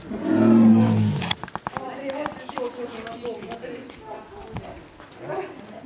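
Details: A Bengal tigress gives a deep, drawn-out 'a-u' meow after fallow deer were fed nearby, at a Crimean safari park, followed by a person talking.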